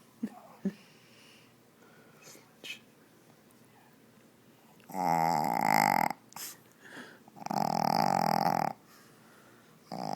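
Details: Snoring from Zoey, a Shih Tzu puppy whose short snout leaves her barely able to breathe: after a quiet start with small sniffs, two loud, harsh, rattling snores of about a second each follow.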